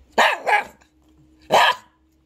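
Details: Thirteen-year-old mixed-breed pet dog talking back when asked if it wants to eat: a quick double bark followed about a second later by a third loud bark, each harsh and punchy, with a faint steady hum underneath.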